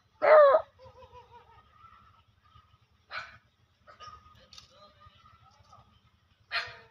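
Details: German Shepherd dog in village life, a single sharp loud bark opening the clip, then faint whines and soft calls, another bark near the end, with quiet people's voices between.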